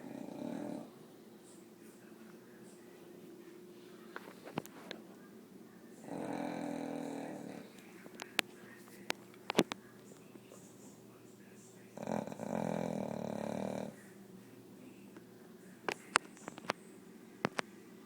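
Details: Sleeping dog snoring loudly indoors, long rough droning breaths every six seconds or so, with quiet hissing and small clicks in between.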